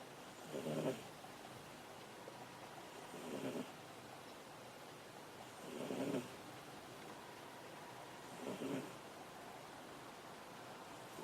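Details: Sleeping on a desk, the house cat Ameta snores steadily: four even, rasping breaths spaced about two and a half seconds apart, a calm, peaceful rhythm with quiet pauses between.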